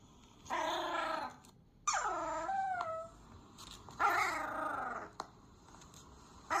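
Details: Dog reacting to sounds: long harmonic whining cries, some sliding downward, in three bursts over about six seconds, with quiet pauses between.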